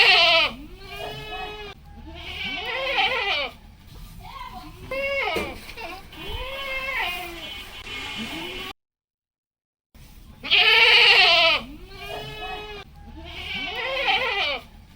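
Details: Goats kept on a Padma River char farm in rural Bangladesh, home of the doe Queen and kids RedPrince 02 and BlackPrince 01, bleat again and again in loud, quavering bursts with brief quiet gaps.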